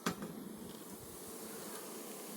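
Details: Russian honey bees in a hive on a red stand at its first opening, smoked by the keeper; a steady low droning hum of many bees fills the clip after a sharp click at the start.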